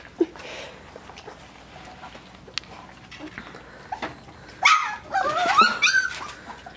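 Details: Puppies aged three weeks and five days, tasting puppy mush for the first time: soft background shuffling, then a burst of high, wavering whines and yelps near the end, with Dutch speech.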